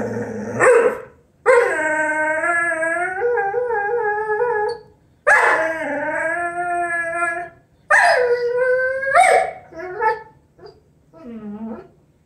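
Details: A Vizsla dog whines in long, wavering, howl-like cries, several sustained notes that bend and fall, with gaps between them, ending in shorter broken yelps and whimpers.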